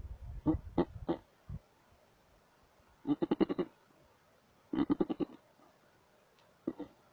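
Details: Wild markhor in Chitral Gol National Park, Pakistan, in a lush green place: three quiet bursts of rapid, stuttering, nasal bleat pulses, each about half a second long, separated by pauses of a second or more.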